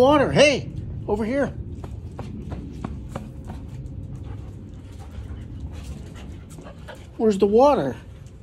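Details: Whining from Gustl, a young Deutsch Drahthaar in his third week of bench training. Two quick arched cries open the clip, followed by light ticking and shuffling, then one longer wavering, rising and falling whine near the end.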